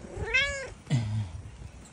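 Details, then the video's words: Tabby cat giving one clear, drawn-out meow that rises and then falls, rich in harmonics. A shorter, lower, rougher sound follows right after, then quiet background. "Meow meow meow"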